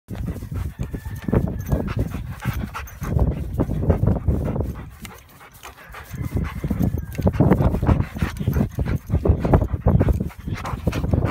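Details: A 9-year-old female yellow Labrador Retriever weighing 85 lbs, a rescued former stray, panting after swimming in a pool: rapid, breathy, low rushing pants in steady bursts, with one brief quieter pause midway.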